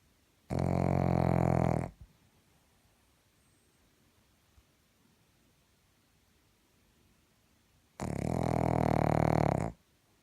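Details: Pug asleep and snoring, two drawn-out grating snores roughly seven and a half seconds apart, the second slightly longer, in an otherwise quiet room.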